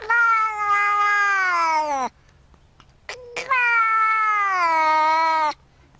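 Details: Two sustained, level meows from a cat, nearly two seconds each, with a brief chirp-like sound in the pause between them.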